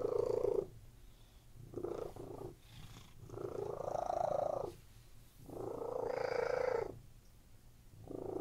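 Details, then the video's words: Domestic cats lying on a bed indoors purring: soft rumbling purr in swelling bursts about a second long, each followed by a quieter pause, with a gentle rising tone in some bursts. "CATS PURRING"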